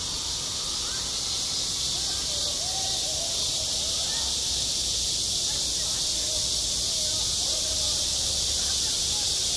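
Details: Steady, piercing high buzz of cicadas at a school playground in midsummer, an even wall of sound with faint distant voices underneath early on.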